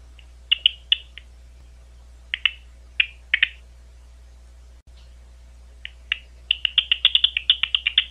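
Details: A big brown bat, recorded at Ohio State University, gives short, sharp chirping pulses that speed into a rapid burst at the end.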